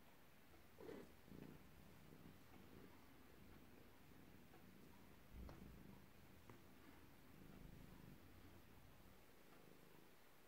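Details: A Ragdoll cat, still asleep on the couch in the morning and being gently woken, purrs softly: a low steady rumble with a few faint louder bursts.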